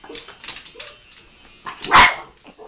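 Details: Pet dog indoors protecting her owner, reacting when touched: low grumbling and whimpering noises build to one sharp, loud bark near the end, followed by softer yips, with quiet talking nearby.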